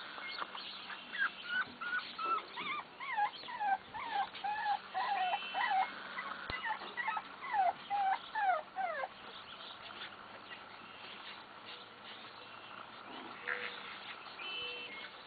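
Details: Bulldog pups at play, giving a run of high, falling whimpers and yips repeated about twice a second for several seconds, then quieter; faint bird chirps and a steady low hum run underneath.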